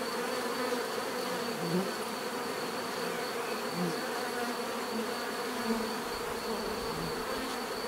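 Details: Continuous buzzing of a crowd of bees, a layered humming drone with individual insects swelling briefly louder as they pass close, natural bee sound for relaxation.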